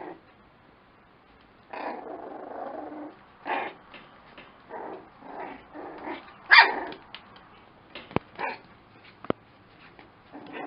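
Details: Lakeland Terrier puppies giving short bursts of yappy barks and growly vocalising, starting after a quiet opening second and recurring irregularly, with a few sharp clicks near the end.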